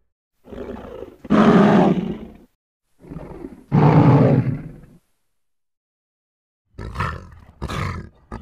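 A lion gives two deep, throaty roars, then a pair of short, clipped grunts.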